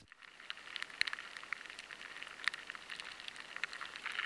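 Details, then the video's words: Rice weevil larvae inside rice grains, struggling to scrape at the grain so their sound changes, picked up by high-sensitivity equipment: faint hissing background with sparse, irregular dry ticks and scrapes. "The rice weevil larvae find it harder to scrape at the grain and the sound changes."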